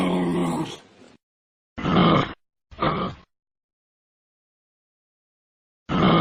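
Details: Rough, breathy grunts from a kangaroo cub: a longer groan fading out, then two short gruff bursts close together, and another beginning after a silent pause.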